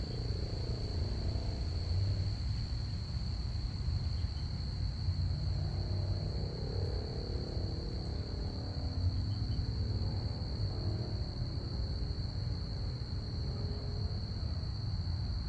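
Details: Crickets chirping on a Saturday night: a steady, unbroken high-pitched trill runs the whole time beneath a heavy low rumble from passing planes overhead.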